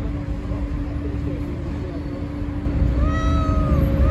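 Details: A single stretched meow from a stray cat near the end, rising and then dipping, after several seconds of low traffic noise and a continuous hum.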